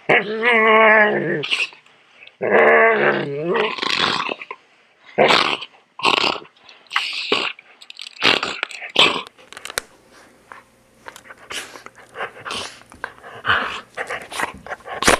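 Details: Two drawn-out, tonal, moaning growls from a poodle during grooming, followed by choppy snarls that fade into quieter scratchy sounds and a faint background hum.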